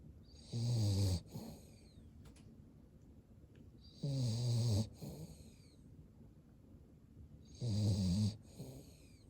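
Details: Cavalier King Charles Spaniel asleep with eyes showing white, snoring deeply; three rumbling, throaty snores roughly every three and a half seconds, each followed by a hissing exhale, quiet in between.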